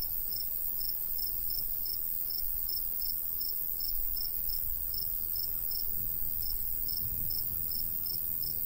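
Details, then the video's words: In summer countryside beside a wheat field, crickets give a regular series of high, clipped chirps, roughly three per second, over a light breeze. "Countryside/cricket sounds"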